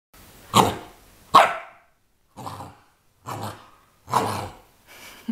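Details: Male Great Pyrenees puppy, 51 days old, playing and inviting play: a series of short, loud, rough barks and yaps spaced about a second apart, with quiet gaps between them.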